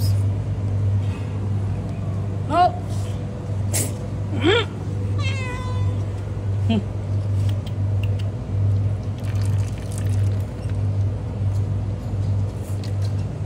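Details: Homeless cat out on the road giving several short, rising meows early on, then falling quiet; constant low engine rumble and faint human voices underneath.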